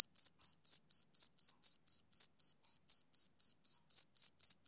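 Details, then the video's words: Male cricket chirping on a summer evening: clean, high, even pulses repeated about four times a second in a steady rhythm, with no other sounds behind them. "Cricket Chirping Sound Effect"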